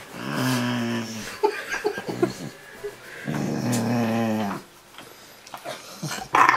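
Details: A Rottweiler named Ariel grumbles and talks while cuddled. Two sustained, tonal, groaning phrases are broken by short whimpery sounds, and a brief human voice is heard at the end.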